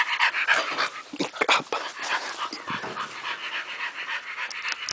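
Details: Dog panting rapidly while hunting a little mouse, breathy bursts repeating about three to four times per second, with a few sharper sniffs and a brief human voice in the background.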